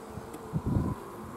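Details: Western honey bees at an apiary on 21 July give a low, droning buzz that swells briefly and fades. With an intruder (the beekeeper) present, they sit on uncapped cells filling themselves with honey.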